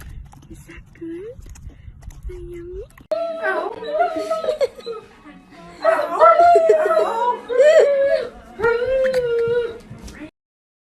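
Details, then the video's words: Dog making a funny vocal sound: two short rising whines, then drawn-out wavering howl-like moans rising and falling in pitch in several bursts, with voices mixed in. "DOG FUNNY SOUND"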